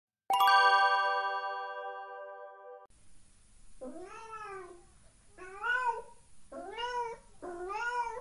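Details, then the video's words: Domestic cat meowing indoors in a room. A sustained tonal chime opens the recording. After it fades come four drawn-out meows, each sliding up then down, the last two close together. "Cat Meow Sound Effect (cat meows in the room)"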